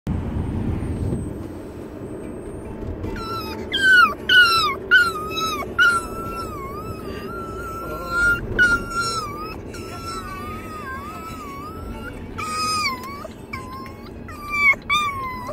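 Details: Chihuahua crying like a baby: after a quiet start, a long series of high, wavering whines that rise and fall, with sharp yelping peaks in between, continues to the end.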